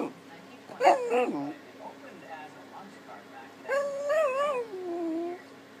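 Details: Max, a pet puppy, vocalizing to beg for a dinner plate he wants to lick: a short wavering whine, then a longer drawn-out howling whine that rises and falls before trailing off, with a faint steady hum behind.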